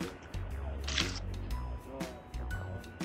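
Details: Bouncy background music continues, with a sharp click-like noise near the middle; no animal sounds are heard.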